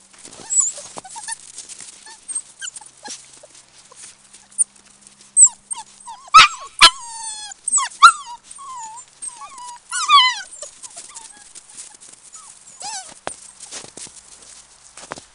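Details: Seven-week-old Samoyed puppies, a litter of two males and three females: high, squeaky whines and yelps with rising, wavering tones, bunched between six and eight seconds and again near ten seconds, with soft scuffling and shuffling between cries.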